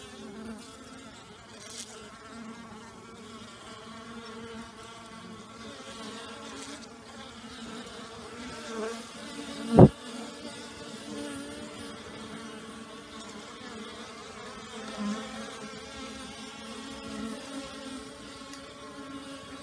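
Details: Honey bees out in numbers in pleasant, warmer-than-usual new-year weather after a heavy overnight downpour; a constant layered hum from many insects, with one sharp click near the middle.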